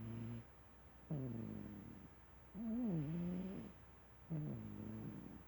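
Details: Sleeping domestic cat snoring: low, buzzy, harmonic breaths rising and falling, three in a little over five seconds, with quiet pauses between.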